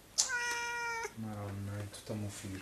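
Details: Pet cat sitting on top of a crash helmet indoors: a long, clear harmonic meow near the start, followed by a lower drawn-out tone and short sounds, with Italian speech around it.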